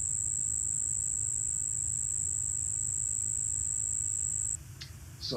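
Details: A Cuban ground cricket from the Chicago region sings a single steady, high, pure tone with one dominant frequency, held without a break for over four seconds.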